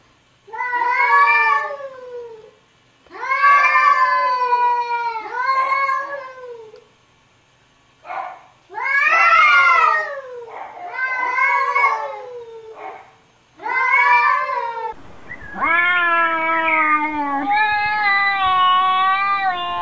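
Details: Domestic cats exchanging vocalisations: a string of loud, arched meows about every one to two seconds, some short and some stretched, ending in a long, steady, higher-pitched wail.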